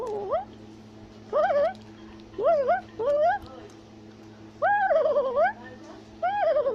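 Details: Tufted capuchin, an arboreal primate of Central and South America, chattering and shouting from a tree: short upswept whistled squeals in spaced bursts, some wavering and falling, separated by brief quiet gaps.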